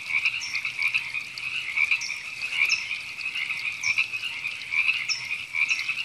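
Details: Dense frog chorus recorded in April 2017 at Temescal Canyon Park, Los Angeles, California: river frogs produce a constant buzzing trill, swelling and fading, with sharp higher notes repeated about every second.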